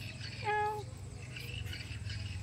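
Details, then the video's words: A hungry cat, left unfed, lets out one short, bright meow that slides slightly downward. Low background hum and faint household noise follow, and a voice asks in Indonesian whether it is full yet. "Kucing Ini Ternyata Lapar Tidak Ada Yang Memberinya Makan"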